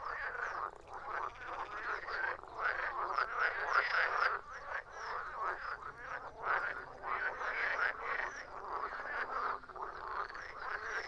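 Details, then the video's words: Frogs croaking in a dense, overlapping chorus of raspy pulsed calls, energy concentrated in the mid range, continuous throughout with brief dips in loudness. "Frogs croaking"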